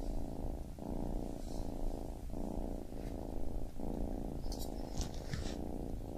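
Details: Baby kitten purring in clear breath-timed pulses, each low rumble lasting under a second before a short pause, light rustling noises midway.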